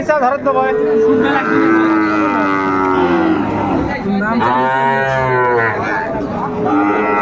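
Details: Sahiwal bull calves at Ambari cattle market, 13 January 2025. Several moos overlap with busy human bargaining. One is short and level, one is wavering and rising, and one is a loud drawn-out bellow in the middle.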